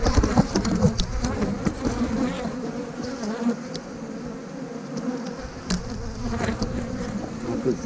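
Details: Honey bees buzzing at an open hive while a beekeeper pulls out frames of brood to make a split; a dense, steady low hum with frame knocks and handling noise throughout.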